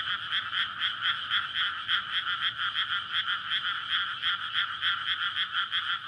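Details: Frog chorus from a flooded rice paddy in May, recorded at night before planting among homes near a road; courtship for egg-laying. Dense, continuous croaking in two bright bands with pulses swelling about every third of a second.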